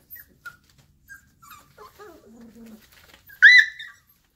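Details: Purebred Airedale Terrier puppies, nearly five weeks old, playing after breakfast: soft scattered whimpers and low murmuring grumbles, then one sharp, high, rising yelp near the end, in a quiet room.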